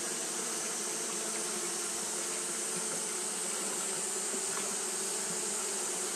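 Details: Fanning Japanese honey bees, kept at it all through a hot day, produce an unbroken low droning hum with faint fluctuations, set against a continuous high, even hiss.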